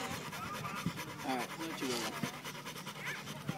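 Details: Pit Bull named Simba out at the park, pulling on the leash: rapid rhythmic panting breaths, steady and even, with a person talking over much of it and faint background noise outdoors.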